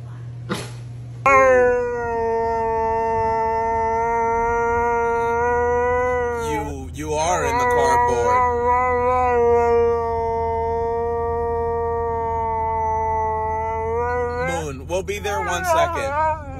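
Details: Siberian Husky talking back with long, drawn-out howls: two sustained, steady-pitched notes of several seconds each, broken by short wavering, yodel-like twists in pitch between them.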